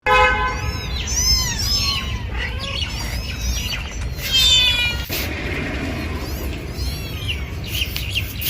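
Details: Kittens meowing: several high, wavering meows overlap in quick succession during the first seconds, with another cluster midway, over a steady low rumbling background noise.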